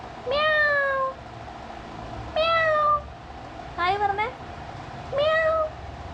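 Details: A one-year-old black Dachshund gives four drawn-out, cat-like cries, each sliding slightly downward, mimicking meows in reply to its owner's imitation of a cat.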